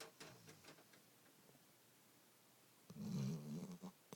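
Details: Joony the dog snoring: after near-silent breathing, one short, low, rough snore rises near the end and then fades.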